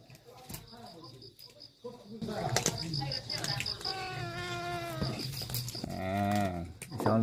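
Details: A stray kitten gives drawn-out, oddly pitched meows at feeding time, calling for someone to come and play.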